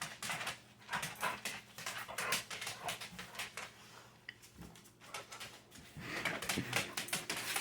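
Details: Indoors, pet dogs Sadie and Boots 'talk' with brief whimpering whines over a steady patter of clicking taps, the sounds swelling and fading in bursts across several seconds.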